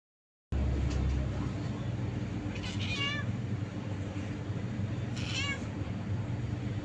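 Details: Happy kitten in Abu Dhabi meowing twice, short bending harmonic meows about two seconds apart over a steady low mechanical hum.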